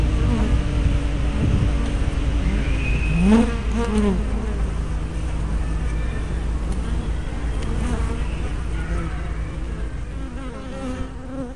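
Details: Honey bees coming and going at their hive entrance on 24 May 2012, recorded by a spy cam with fisheye lens: constant deep hum, with one loud fly-by rising sharply in pitch near the middle.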